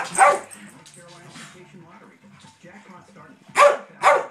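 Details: Daisy, a pet dog eager to play with her older sister dog, who refuses; one sharp bark opens, a stretch of human talking follows, then two more loud, abrupt barks about half a second apart near the end.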